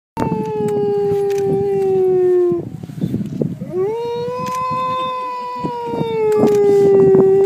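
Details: Two captive wolves at a UK wolf conservation trust howling: long smooth sustained tones, a first howl slowly falling for about two and a half seconds, a brief break, then a second howl rising and holding steady before easing down.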